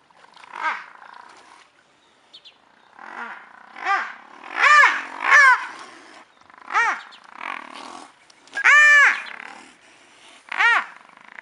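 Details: Fighting brown hyenas at Madikwe, one having strayed into the wrong territory: a rapid series of about ten shrill, arched squeals and yelps, some long and strained, separated by short gaps.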